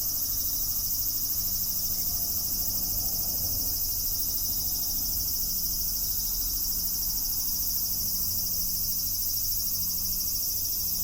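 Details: Cicadas singing in a continuous, dense high-pitched buzz, several stacked layers droning evenly without pause, over a faint low hum and soft background noise.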